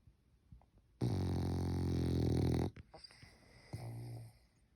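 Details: Sleeping French Bulldog snoring indoors: one long, loud rasping snore of about a second and a half with a rich low rumble, followed by a softer, breathier snort.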